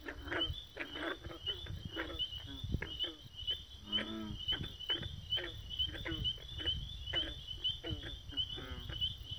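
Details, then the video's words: A crowd of frogs calling at once, short raspy rattling croaks overlapping in quick irregular bursts, some deeper grunts mixed in, over a constant high-pitched background hum. "Frogs gone wild"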